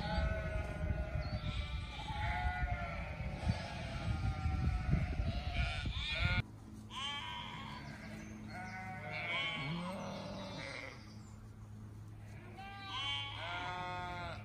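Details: Flock of sheep with short overlapping bleats; the first half is buried under loud low rumble, then clearer separate quavering calls come through over a steady hum.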